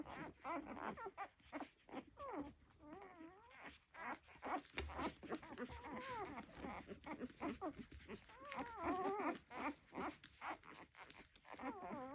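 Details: Several nursing Labrador Retriever puppies give soft, high whimpers and squeaky mewing calls, often wavering up and down, overlapping in quick irregular bursts with faint suckling and shuffling noises throughout.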